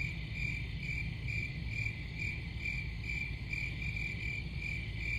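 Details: Crickets calling in rhythmic bursts, roughly two chirps a second, bright and high-pitched over a persistent low droning noise.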